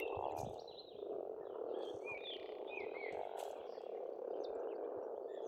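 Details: Spring pond frogs in Estonia keep up a thick, unbroken croaking chorus, while songbirds add short rising whistles and trills over the top.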